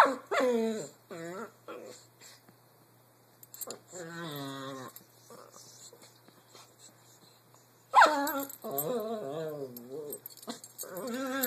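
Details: An English Bulldog playing with a Brussels Griffon gives warbling, moaning whines and grumbles in short bursts, their pitch wavering up and down.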